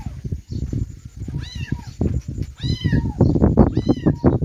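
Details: Kittens meowing: three high, thin meows that rise then slide down, spaced about a second apart, over dense low thumping and rustling noise throughout.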